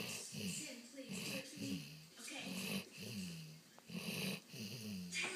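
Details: A sleeping, dreaming dog snores in a steady rhythm: low rasping breaths of about a second each, repeated roughly five times, with hissy exhalations between them.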